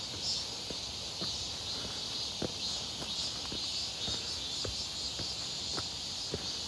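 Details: Many cicadas calling near Seonbawi on a hot, clear midsummer day, 1 August 2023, while walking: a constant shrill high whine over evenly spaced footsteps.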